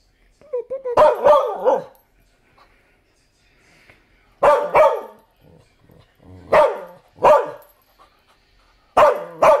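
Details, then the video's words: Bumba the dog gives repeated loud, rough barks in doubled bursts spaced a couple of seconds apart, some preceded by a short whine-like onset, with quiet gaps between. "Barking Bumba"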